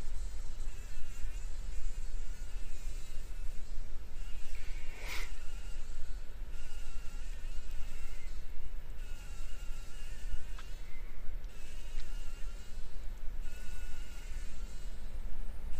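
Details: Fly trapped in a spider web in a workshop corner, in the morning, struggling to survive: a continuous wavering buzz with stacked tones that drift up and down, over a low steady rumble, with one sharp click midway.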